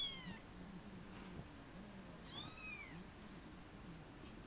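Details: A 23-day-old Munchkin kitten gives thin, high meows with a low steady hum beneath.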